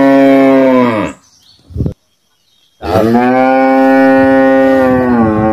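A cow gives two long, loud moos with rich harmonics, separated by a brief pause.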